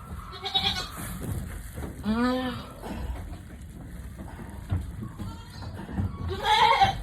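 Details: Mother goat having trouble giving birth. One clear, arching, harmonic bleat is heard, with a second, shriller cry near the end, over a low rumble and soft human voices.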